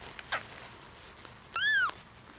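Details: Two-week-old kitten Koko protesting during toileting help after a milk feed: one clear, high, arched mew rising then falling, preceded by a soft rustle of handling.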